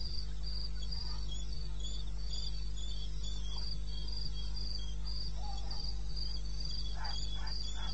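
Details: Night chorus of crickets in eastern Botswana wilderness, captured 21 May at 02:30: rapid, regular high-pitched pulses repeating without pause, overlapping callers, a few soft mid-pitched chirps late on, over a steady low drone.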